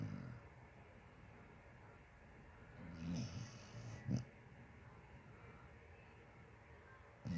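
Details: Sleeping Basset Hound snoring: low, rumbling breaths with a couple of louder snorts around the third and fourth seconds, otherwise a soft steady drone.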